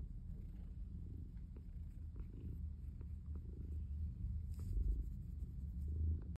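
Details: Purring calico cat making biscuits in a basket; a low, rolling purr swells and fades, growing louder near the end, with occasional light scratching clicks from the kneading paws.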